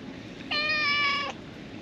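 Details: Feral cat sheltering under a roof from the rain at a fishing port, giving one steady, drawn-out meow lasting under a second, level in pitch and rich in overtones, over a faint background hiss of rain.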